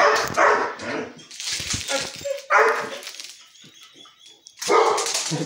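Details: A pet dog named Bear gives rough, throaty barks during play, four bursts spread irregularly over a few seconds with a quiet gap before the last, backed by music.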